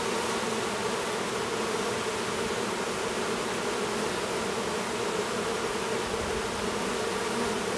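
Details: Honey bees at an apiary near Duluth, Minnesota, where a new drone works to emerge from his cell; a steady, dense droning hum holds unchanged throughout, with no other clear sounds.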